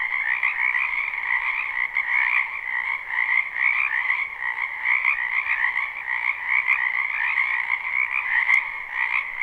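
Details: Live night-style recording of numerous frogs in a wetland during spring, their croaking merging into a steady, buzzy wall of trills, two pitch layers held constant, with a few faint clicks near the end.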